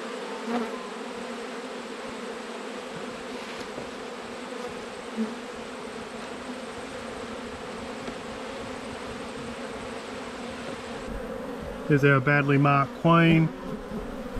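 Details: Low, continuous droning hum from a colony of honey bees in autumn as their hive is opened for inspection. Steady and unbroken for about eleven seconds, then a person's voice cuts in near the end.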